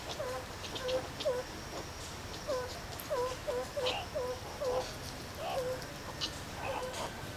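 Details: Meerkats playing and relaxing at Zoo Rostock, Germany, in July 2014, recorded on a Sony HDR-CX550 camcorder; short chirps around mid pitch repeat in quick bursts of two or three, about a dozen calls, over low background murmur.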